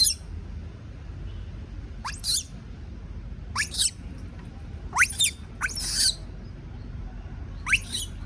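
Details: Frightened baby monkey, scared to be left alone, gives short, piercing squeals that climb steeply to a very high pitch, about six separate bursts spaced irregularly, over faint low rumble.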